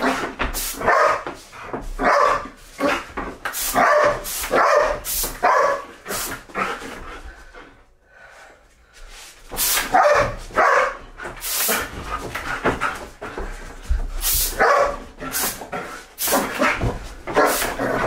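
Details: Belgian Malinois at home playing an excited game with compressed air it begs for; short harsh barks and yelps repeat in rapid bursts, mixed with sharp hissing air blasts, a brief quiet spell midway, and a man's exclamations.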